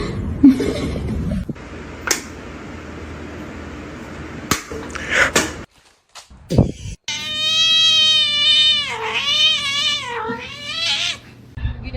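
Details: Cat in a compilation of funny pet moments: a long, loud, wavering meow with rich harmonics lasting about four seconds, preceded by scattered thumps, brief speech and background room noise.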